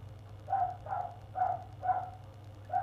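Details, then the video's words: A neighbours' dog in an hour-long barking session on 1 February delivers five evenly spaced, mid-pitched, slightly muffled barks roughly every half second, steady low hum in the background. "Neighbours' dog barking"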